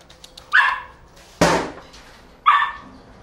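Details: Belgian Malinois named Paraluman, a working dog, barks twice about two seconds apart, short mid-pitched barks, with a loud sharp knock or thump between them.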